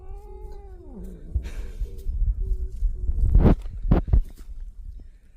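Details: A cat that does not want to go home after playing gives a long, drawn-out meow that falls in pitch. A few softer short calls follow while a man repeatedly says let's go and tells it to go inside.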